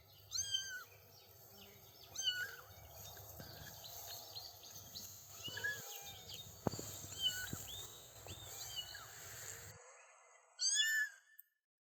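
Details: Outdoors on daisy-dotted grass, three-week-old kittens beside their mother give repeated high, bent meows, some short and some drawn out, scattered through the clip with a brief pause before a final meow; birds chirp softly throughout.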